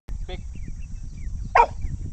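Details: Dog on a riverside vacation gives one short, sharp bark near the end, after a brief higher yelp early on, over a low rumbling background with faint thin chirps.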